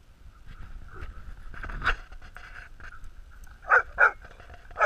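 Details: Three dogs, Stella, Bill and Hudson, romping together; mostly low rumbling movement and a faint steady hum, then a few short sharp yips and barks in the last second or so.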